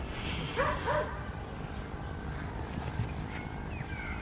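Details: Adriano, a West Highland White Terrier, on a winter morning in the garden and fields of Hoat Wala village, South Punjab, Pakistan: two quick sharp barks early on, then steady low outdoor rumble and faint distant sounds.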